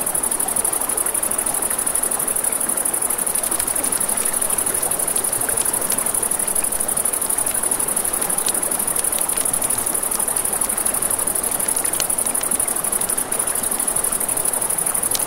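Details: Crickets at night beside a river, a steady high-pitched unbroken trill running the whole time over the soft rush of flowing water, with sharp crackles and pops from a campfire scattered throughout.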